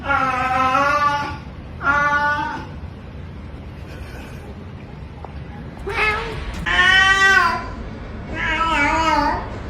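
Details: Cat meowing repeatedly: rich, harmonic, slightly wavering cries, two short ones near the start, then a pause and three louder, longer meows close together, with a faint hiss of background noise.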